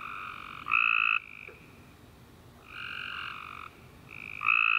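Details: Tree frogs singing after a warm summer rain at night, loud honking notes of about half a second with a clear harmonic ring, alternating between nearby callers.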